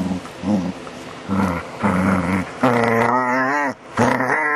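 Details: Funny vocal sounds from DaVinci, a dog, July 2011: low grumbling growls in short bursts, then a longer, higher, moaning whine-like note near the end that breaks off and resumes.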